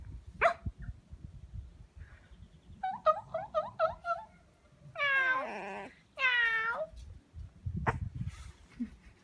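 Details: A French Bulldog puppy gives quick high yips, then two drawn-out, wavering whines.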